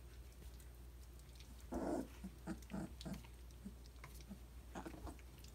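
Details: Three-week-old Briard puppies indoors; a short rough grumbling burst followed by a string of soft, low, pulsed growly grunts spaced about half a second apart, over steady low room hum.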